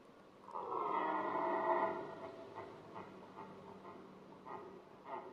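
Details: Rutting red deer male, which also adorns its antlers with grass and twigs, gives one long harmonic bellow of over a second, followed by a series of short, irregular grunting puffs.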